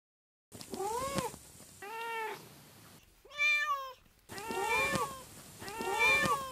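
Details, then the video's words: Repeated meows from a house cat, one of three pets said to sound different from each other, arching harmonic calls roughly once a second, including a higher, brighter meow in the middle, with faint background hiss. "Every Cat has a Different Meowing Voice"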